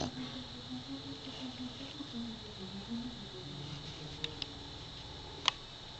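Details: Sleeping Pekingese dog named Snoot snoring indoors, a string of short, thin whistled tones on each breath, repeated in quick succession, with a few sharp clicks near the end.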